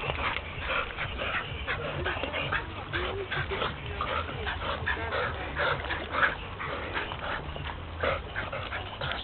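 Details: Fanda, a Parson Russell Terrier, in a swimming race on a Friday afternoon at the Brno sea: rapid, dense run of high, excited whimpers and short yips, over a steady low rumble of water and background noise.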